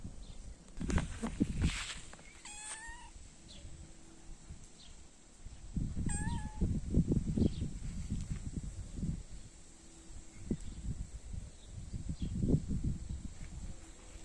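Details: A young cat wanting to play with much younger kittens gives two short high meows near the third and sixth seconds, with rustling, bumping and low handling noise filling the rest.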